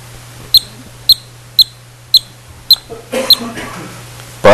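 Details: A yellow-bellied marmot pup, which can whistle the normal alarm call from the day it emerges from its burrow, gives short, sharp alarm whistles about twice a second.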